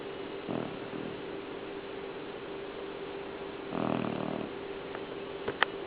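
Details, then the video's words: Natasha, a pet dog, sawing logs in her sleep: a rattling snore near the start and a longer, louder one about three seconds later, over a steady indoor hum, with a few sharp clicks near the end. "Natasha Snoring"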